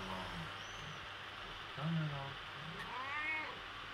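A Persian cat gives drawn-out, wavering meows, calling for its absent owner.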